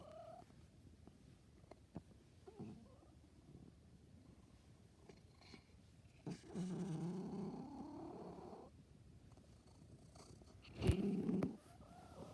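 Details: Pet cat making strange noises indoors: a low, drawn-out, wavering moan of about two seconds, then a short louder cry near the end, with faint room noise between.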